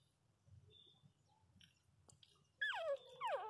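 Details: Newborn Miniature Pinscher puppies, sleeping and dreaming, give two high, falling whimpers after a quiet stretch.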